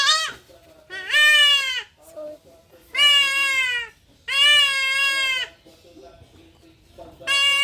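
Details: Goat kid during castration on a farm: loud, strained bleats with a wavering, slightly falling pitch. Four long cries come about every one and a half seconds, with quieter human voices between them.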